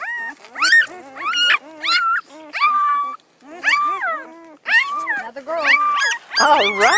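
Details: Newborn Great Pyredane pups of a spring 2016 litter give loud, wavering, harmonic cries in bursts with short gaps, ending in overlapping squeals from more than one puppy.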